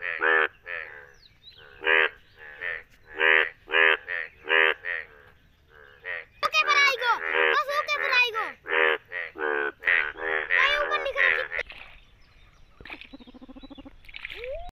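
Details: Yellow Indian bullfrogs calling during rain in India: bursts of harsh, honking croaks at irregular intervals, several frogs overlapping into a chaotic burst midway, then fading to scattered calls.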